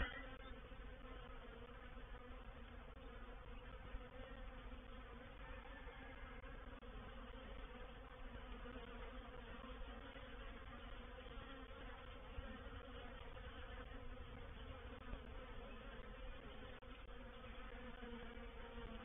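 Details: Reproductive swarm of honey bees settling into a bait hive at Painted Peacock Manor on 04/07/21; a loud, continuous, even hum of many wings with strong low droning bands, unchanged across nearly twenty seconds.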